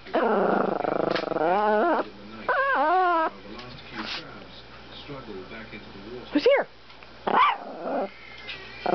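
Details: Small male pet Chihuahua 'talking' while protecting his house, sounding like a little toy boat: long wavering, warbling vocalizations in the first three seconds, then quieter grumbles and two sharp rising yips near the end, with indoor background.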